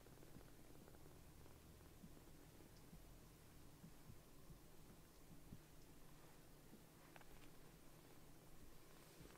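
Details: Rescued foster kitten Sokkun, a baby cat with sock-like paws, purring contentedly on its caretaker's lap after sulking: a low, steady, continuous rumbling purr through the whole stretch, with faint rustles and soft clicks of movement.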